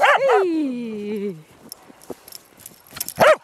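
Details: Corgi at play in snow: two quick yelps slide into a long falling whine, then quiet shuffling and one more sharp bark at the end.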